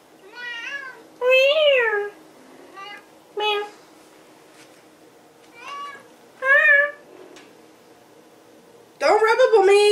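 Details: Nemo, a pet kitty, meowing indoors: about six meows, some drawn-out with a rise and fall, others short and clipped, spaced by quiet gaps, followed by a person talking at the end.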